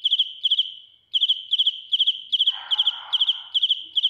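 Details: Loud cricket song heard up close: piercing chirps built from three or four fast pulses, repeated about every 0.4 seconds after a short initial pause, with a burst of rustling partway through.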